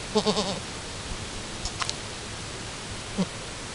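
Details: Alpine goat doe named Chiara at her first kidding, two hours after birth, with her newborn kid as both still try to manage nursing; a quick run of short, quavering bleats opens, then quiet, then one soft bleat near the end.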